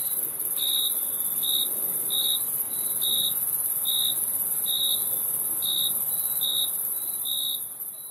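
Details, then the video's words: Crickets giving bright, short chirps in a regular run of about nine pulses, backed by a continuous high insect whine that fades slightly at the end. "Crickets Chirping Sound"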